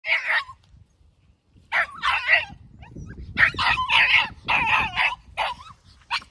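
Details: A three-month-old Patterdale terrier puppy meeting its first rat, held in a cage, gives a short high yap, then after a pause a run of sharp, rough barks and yips in quick clusters over low background rumble.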